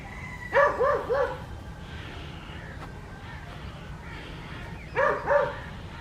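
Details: West Highland White Terrier named Adriano on a winter morning in the garden and fields of Hoat Wala village, South Punjab, Pakistan: three quick yapping barks, a pause, then two more near the end, over steady outdoor background hiss.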